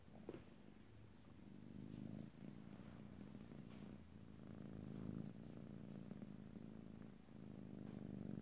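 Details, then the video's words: Pet cat's steady purr recorded ear to ear, a low pulsing rumble rising and falling with each breath, a small tap at the start, otherwise quiet with no voices. "ASMR Cat: Purring"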